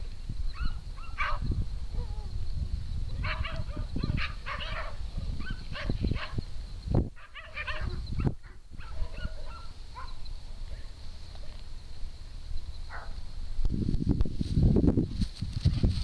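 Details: Farm dogs Pinto, Luna, Trinity and Junior on a morning romp through fields at Triple Acres Horse Rescue; short scattered bark bursts come in clusters over the first ten seconds, with low rumbling handling and wind noise, louder near the end.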